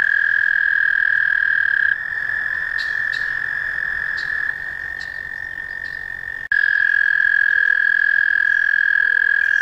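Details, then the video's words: American toad trilling in long sustained bursts, a high steady musical tone shifting slightly in pitch between trills, with faint clicking sounds above. "American Toad - Calls"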